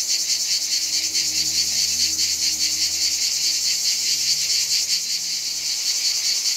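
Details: Many cicadas in Provence, France, on a hot summer day give a loud, unbroken, high-pitched buzzing chorus with a rapid pulsing shimmer.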